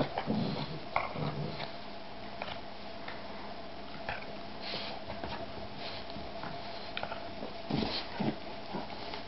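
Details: Boston bulldog x shar-pei puppy playing opens with low rumbling grunts, then goes on with quieter scattered sniffs and a few soft snorts, and ends with another cluster of low grunting sounds.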